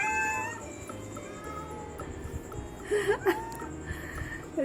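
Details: Domestic cat with kittens in a struggle over fish, the kittens crying; a few short, wavering meows rise and fall near the middle and end, over a steady background hum and faint music.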